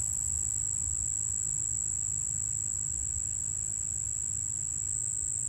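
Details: A Cuban ground cricket in the Chicago region sings a steady, high, pure, musical tone that holds unbroken on a single dominant frequency.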